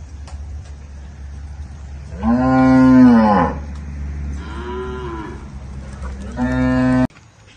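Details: Young bull, son of Sansao and pure Indubrasil, on a farm in El Salvador, giving two long low harmonic moos about a second each, with a shorter softer moo between them, over a steady low hum.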